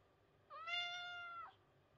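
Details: White cat meowing for affection while rubbing its body against a post: a single clear, tonal meow lasting about one second, level and steady before dipping at the end, in a quiet indoor setting.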